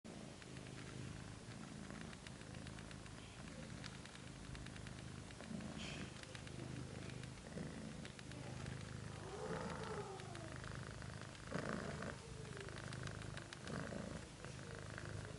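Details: Abyssinian cat family with a second litter of kittens nursing together: steady low rumbling purring throughout, with a few faint thin kitten mews near the middle and soft rustling.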